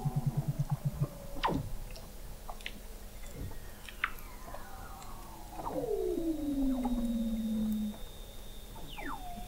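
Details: Under the sea ice of McMurdo Sound, Antarctica, Weddell seals heard in November 2017 from an observatory 21 m deep; a quick low pulsed burst, then a loud descending whistle gliding down for two seconds, plus faint high tones and clicks.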